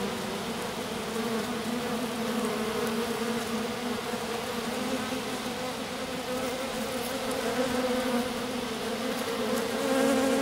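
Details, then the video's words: Honey bee swarm settled in grass, a few loyal workers clustered on a lone queen while the colony heads back to its hive; steady layered droning hum that swells slightly toward the end. "Abeilles. Petit essaim posé dans l'herbe"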